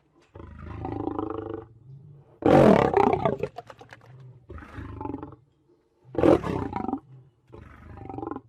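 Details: Roaring lion: a run of throaty, harmonic-rich bellows, two especially loud harsh peaks at about two and a half and six seconds, between softer rumbling phrases.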